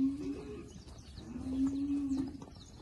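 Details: Girolando heifers, a group of forty crossbred young cows kept with a young Girolando bull at Passos, Minas Gerais, Brazil; a steady, low, droning moo held briefly, then sustained again for about a second, with faint bird chirps above.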